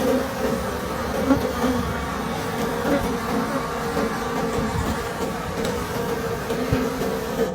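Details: A thick, unbroken humming comes from wild bees at an old forest hive during the final honey harvest of the season, with occasional knocking beneath it.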